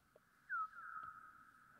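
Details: A bat's echolocation chirp, heavily slowed down to be audible: a quick falling sweep settling into a steady tone, with echoes from a wall about 3 m away and a fir tree behind.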